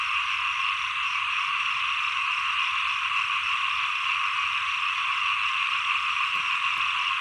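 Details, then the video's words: Chorus of small frogs as the rainy season ends and the cold season begins, a thick, steady rasping drone of countless overlapping calls, with a couple of faint clicks near the end. "เสียงเขียด 1 ปลายฝน ต้นหนาว"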